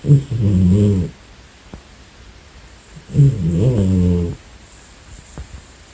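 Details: Napping pet cat, female, snoring: two rough, low-pitched drawn-out snores, each about a second long, separated by a quiet pause of roughly two seconds.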